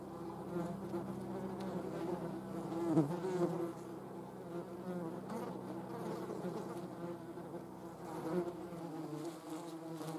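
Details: German wasps (Vespula germanica) producing a steady low droning buzz with layered humming tones, continuous throughout with slight swells in loudness.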